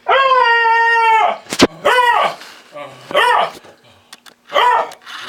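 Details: Lady, a lemon beagle, vocal complaint about her fellow dogs: one long steady howl of over a second, then three shorter arched yowls rising and falling, with a person calling her name and asking what's the matter.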